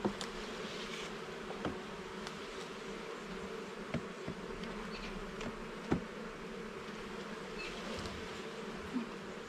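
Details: Honey bees hum steadily while their garden hive is inspected frame by frame, a smooth low droning backdrop punctuated by several sharp clicks and one louder knock.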